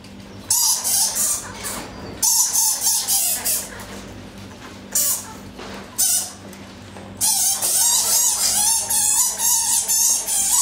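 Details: Egyptian fruit bats squabbling in daylight at a Hertfordshire wildlife park, February 2012: loud rasping screech bursts of one to three seconds with wavering squeaky notes, the longest bout ending in rapid repeated chatter.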